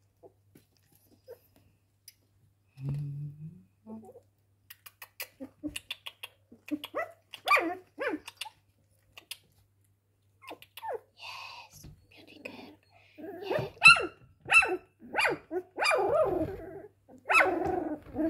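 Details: Cocker Spaniel giving short, sharp barks in scattered bursts, growing denser and louder toward the end, with quieter yips between them and a person's voice now and then.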